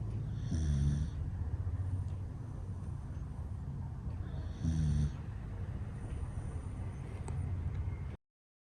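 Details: A male standard Dachshund, born February 2018 and weighing 9.8 kg, snores in low, rasping bursts, with two louder snorts standing out from a steady rumble.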